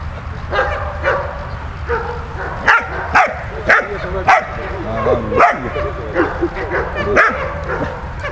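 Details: A dog named Malta barking during play: short sharp barks scattered through the recording, a cluster of louder ones in the middle, mixed with softer yips and a low background rumble and rustle.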